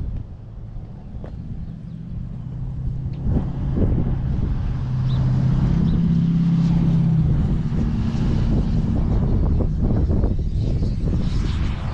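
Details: Steady low engine rumble from a passing vehicle with wind buffeting the microphone throughout; no animal calls are heard.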